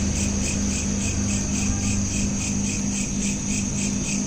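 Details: Crickets at night, recorded on a smartphone: high pulsed chirps repeat rapidly and evenly throughout, layered over a steady low electrical hum and faint background rumble.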